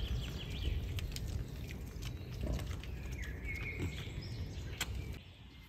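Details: In a beech forest, wild boar, including a large boar with sharp tusks, give low rumbling grunts and snuffles while a bird whistles faintly in the background.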